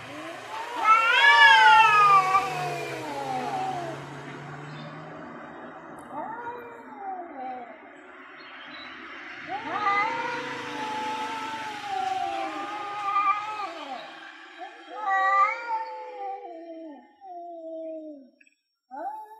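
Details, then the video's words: Two male cats, an orange one and a grey one, yowling before a territorial fight over land; long loud wavering howls with rising and falling pitch, overlapping calls, a brief low hum early on, pauses between bouts. "Cat Wants To Fight and Talking"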